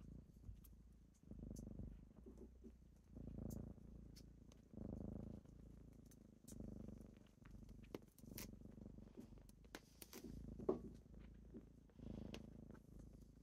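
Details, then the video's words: Kittens purring in the morning as they wake their owner; soft low purr rising and falling with each breath, interrupted by light taps and rustling. "Morning with kittens"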